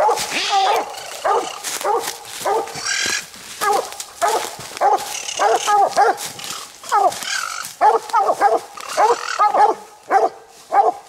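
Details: Nite Ch Fit and Nite Ch Cindy, coonhounds hunting raccoon at night, giving their second raccoon of the evening. Quick, uneven chop barks from both dogs overlap almost continuously, with short drawn notes between them.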